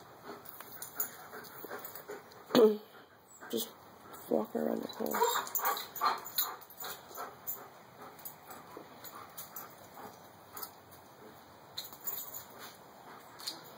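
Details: Sammy, a female German Shepherd whose fibrotic myopathy makes her left hind leg drag slightly, is in discomfort at home. Repeated short whimpering yelps, one loud sharp cry near the start, mixed with people talking and calling her inside.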